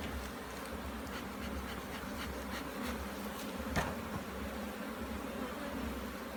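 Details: Bees at an opened hive during an inspection in Jamaica: a dense, steady low droning hum of many wings, with a soft rising swell near the middle and faint brief clicks over the colony's continuous buzz.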